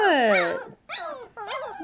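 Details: A 3-week-old Labrador Retriever puppy gives three drawn-out whines, the first long and falling, then two shorter wavering cries separated by brief pauses.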